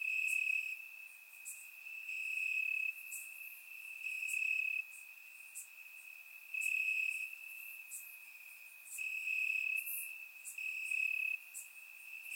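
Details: On a warm summer night in Bulgaria, crickets chirp in the grass; a constant piercing trill rises and falls in loudness in waves of a few seconds, topped by crisp high clicks.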